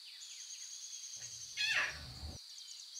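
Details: Wild lion cubs with their mothers in natural surroundings, meowing: one short, rasping, slightly falling mew, under a second long, rises over a steady high insect-like whine, with faint bird chirps in the background.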